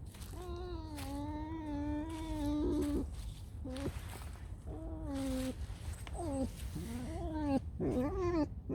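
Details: A tame fox that has just woken up, giving drawn-out nasal squealing whines with a harmonic, slightly wavering tone, several long notes and shorter rising-falling squeaks, with soft background music and a woman talking.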